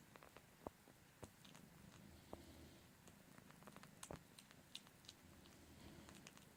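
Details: Domestic cat purring in a small room while Punkin's four-month-old daughter Mini Me, who looks like her calico mom, keeps suckling; continuous deep purr under frequent moist clicking and lip smacks.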